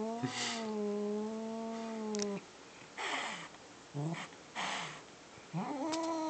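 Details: House cat making a possessive growl and huffing sound when his fluffy ball toy is about to be taken: a steady low growl, then several short breathy huffs, ending in a rising growl.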